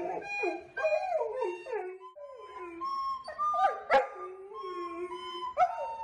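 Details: Male golden retriever singing with a recorder, giving continuous wavering howls that rise and fall in pitch, with steady flat recorder tones underneath and brief sharp clicks.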